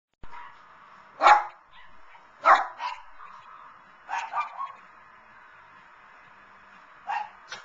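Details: A small Lhasa Apso, cheering on the televised Puppy Bowl, gives sharp, high barks, singly and in quick pairs, a second or more apart.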